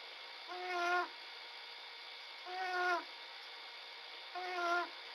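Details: Small bobcat asleep, snoring, 11 February 2017: three slow, buzzy nasal breaths about two seconds apart, each swelling in loudness and ending sharply, against a quiet room with a faint constant hum.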